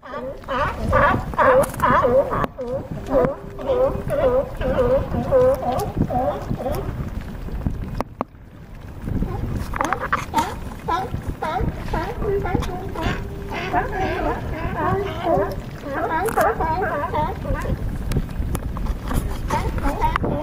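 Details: California sea lions hauled out on a harbor dock at Crescent City, California, calling in a dense chorus of overlapping harsh, honking barks with harmonic bands, repeated rapidly; a brief gap near the middle before the group resumes.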